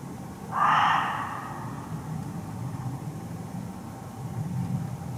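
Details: A Reeves's muntjac (Muntiacus reevesi), hidden in undergrowth close by in a Hertfordshire forest, gives one short, harsh, rasping bark over a low background rumble.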